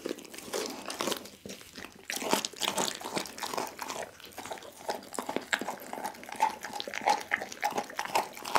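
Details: Doggy the pit bull working through a whole raw chicken, captured on an Insta360 ONE R: sustained crunchy mastication with hard bone snaps and softer wet chomps repeating throughout.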